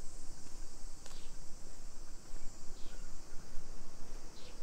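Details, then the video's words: A brief stretch of summer cicada song in a Nisshin city neighborhood, Aichi, Japan, mid-afternoon in late July 2021: a constant high sizzling hum with a few sharp knocks and swishes from a walk along the street. "Summer Cicadas Sounds"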